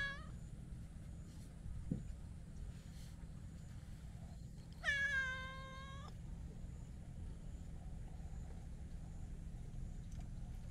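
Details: Talkative black-and-white hachiware cat, a stray, rubbing affectionately against a person: one clear harmonic meow lasting about a second, level then slightly falling, with a faint short cry near the start, over steady low rumble of outdoor background noise.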